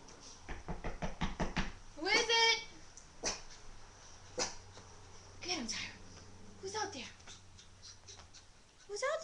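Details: Pet dogs, a boxer named Mya, a Jack Russell named Tyra and another named Bandit, react indoors to a knock at the door with short bursts of barking and a rising whine, while a person calls out asking who is there.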